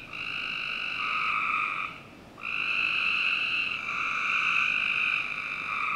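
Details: Backyard frogs at night in summer, Northern Virginia: long buzzy trills, one running nearly two seconds, then a short pause before another long trill picks up and carries on almost unbroken.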